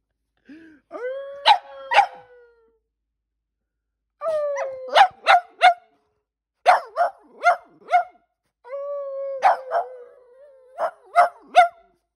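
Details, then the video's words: Coaxed by a human howl, Percy the Boston Terrier and Bear the German Shepherd-Black Lab mix give four separate howling bouts. Each opens with a wavering tone and ends in two or three clipped barking yelps, with silent pauses between bouts. "Dogs Responding To My Human Howl"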